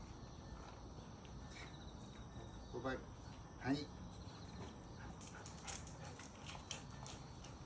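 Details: Pet dog on its regular morning and evening walk, at snack time at an uncle's home where a high-five earns a treat; two short, rising whining yelps in the middle, with a person's voice nearby outdoors.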